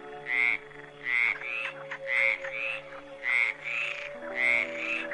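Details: A toad gives nasal, slightly buzzy croaks in pairs, roughly once a second, over a steady low humming drone; toads are nocturnal and males croak in the breeding season.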